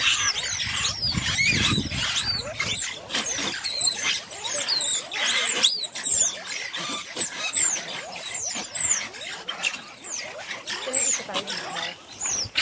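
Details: In Marloth Park, a banded mongoose group gives dense, high-pitched squealing chirps while defending its den from a monitor lizard.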